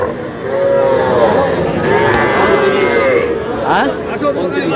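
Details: Small bull calves at a busy market where a Kushtia farmer buys them on 23 June: one long, even moo with a slight rise, then a shorter call, over crowd chatter and men calling out prices.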